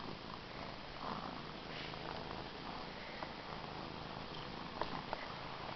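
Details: Domestic cat named Cookie purring steadily, a continuous low rumbling texture with faint soft clicks and a small bump near the end, recorded close up indoors.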